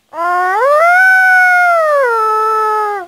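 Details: Dog howling in one long sustained tone lasting about three seconds, rising in two steps at the start, holding steady, then dropping to a lower pitch for the final second; clear and rich, with no other sounds.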